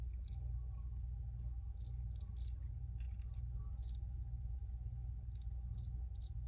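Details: Crickets chirping in short, high, bright pulses spaced unevenly, some paired, with a constant low droning hum underneath and a thin steady tone.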